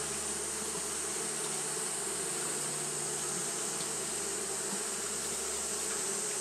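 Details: Steady fanning buzz of Japanese honey bees on a hot day: a continuous dense drone with a constant high hiss, unchanging across the whole stretch.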